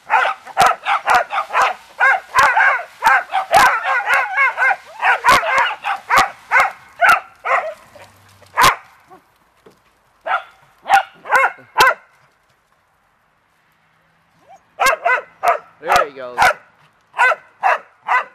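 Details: Beagles and dachshunds of one family, a mother with her pups and a red bone dachshund father, playing happily in water: rapid volleys of sharp, high yapping barks, then a short lull and more scattered barks in bursts.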